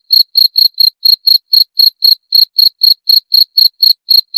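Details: Steady cricket calling: brief, bright, high-pitched chirps pulsing about four times a second in an even rhythm against a quiet background.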